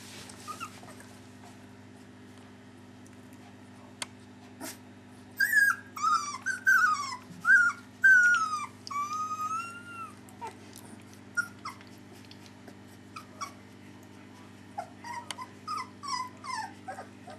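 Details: Whimpering three-week-old puppies cry out in bursts of high, bending squeals, some rising and others falling, with clustered cries in the middle and again near the end, over a constant low electrical hum and occasional clicks.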